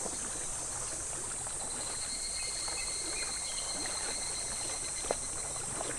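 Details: Cicadas calling in midsummer along a shallow, slow-flowing clear stream in July: a steady, high, hissing drone holds throughout, over the soft trickle and patter of running water.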